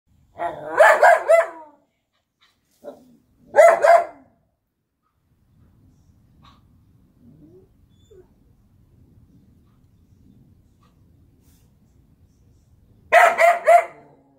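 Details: Golden Retriever Collie mix dog barking at a freshly picked garden zucchini: a burst of loud, rough barks, a short yap, another bark, then about nine seconds of quiet low rustling before a final double bark.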